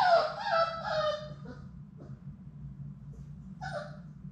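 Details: Labrador Retriever puppies, Sadie's litter of six, at play in an indoor puppy room. A loud, high, wavering whine with rich harmonics opens, fading by one and a half seconds. Then comes quiet shuffling, and a short sharp yip near the end.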